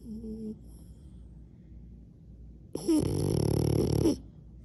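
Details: Sleeping French Bulldog giving a short wheezy breath followed by a loud, buzzing, rattling snore over a second long, then quiet room noise.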